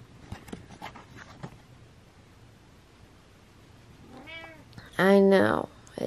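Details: A cranky, frustrated pet cat indoors, with a person's voice and soft tapping early on, then a short meow followed by a loud, drawn-out harmonic meow near the end.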